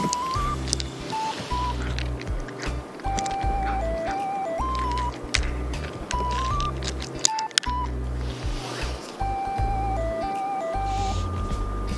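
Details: Bright melodic background music with a bouncing rhythm over faint outdoor noise, no animal call.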